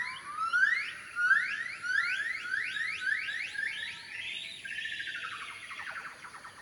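A gibbon gives clear, upward-sliding whooping notes, each about half a second apart, building faster and higher until they run together in a warbling trill. A thin, steady insect hum sits high in the background.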